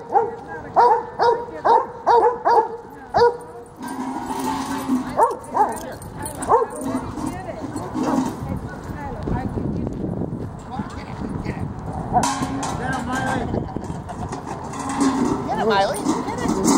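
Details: Two dogs, Freddie and Miley, in a tug of war at Lakewood dog park; a steady string of about eight barks, then fewer amid people talking and park noise.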